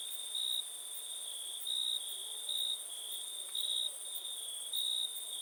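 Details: Shrill continuous trilling of a cricket, rising to louder bursts five times across five seconds at fairly even intervals, with a faint upper overtone band.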